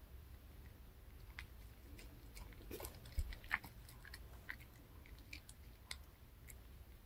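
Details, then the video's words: Reka the dog eating a handmade fish-shaped bun treat (bungeoppang) from a pet snack shop, indoors; soft, scattered crunchy clicks and bites with quiet pauses in a small, quiet room. "강아지 먹방 ASMR 붕어빵 fish shaped bun mukbang eating show"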